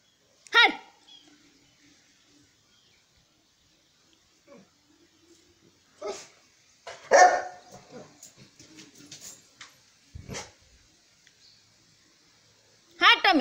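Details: Saint Bernard called Sultan giving loud, harsh single barks spaced several seconds apart, one near the start, a cluster midway and one at the end, with people talking quietly in between.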